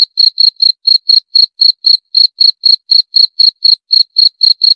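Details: Short run of cricket chirps, piercing high notes repeated roughly four times a second, some spaced slightly unevenly, with nothing else audible.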